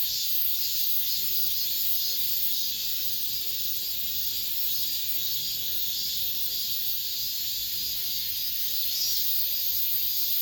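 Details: The summer's final cicada song in an apartment complex: a loud, even, high-pitched sizzle that never pauses, with little else audible beneath it.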